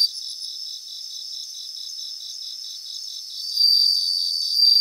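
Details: Grassland chorus of bell crickets: at first a soft, rapid pulsing of many insects, then a loud, clear high ringing note breaks in for the last second or so.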